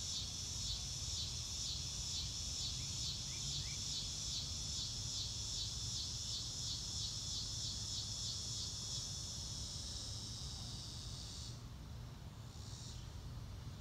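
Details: A loud, rhythmic, high-pitched cricket trill pulses steadily for most of the stretch, then drops away abruptly near the end with a brief return, a few faint bird notes early on and a low rumble underneath.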